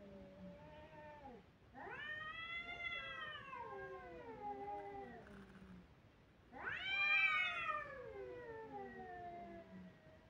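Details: Two long, plaintive kitten cries, each starting bright and strong, then sagging slowly downward in pitch over several seconds, separated by a short quiet gap.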